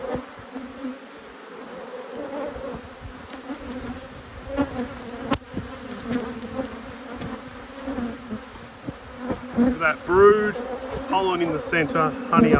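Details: Honey bee colony humming steadily as a beekeeper works through the apiary; the low drone runs throughout, with a sharp click early on and speech growing louder in the last few seconds.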